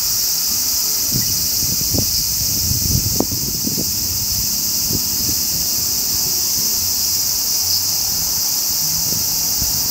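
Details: Large brown cicada producing an unbroken, frying-oil-like hiss high in pitch and steady in volume, with a few faint low taps underneath.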